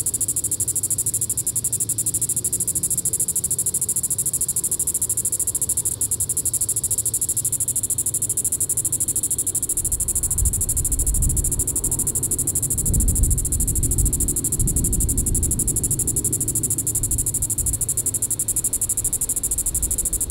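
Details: A Diceroprocta vitripennis cicada calls in the evening at Sand Hills State Park, Kansas, July 20, 2014, a constant high pulsed buzz; from about halfway through, a heavy low rumble like wind or handling noise rises beneath it.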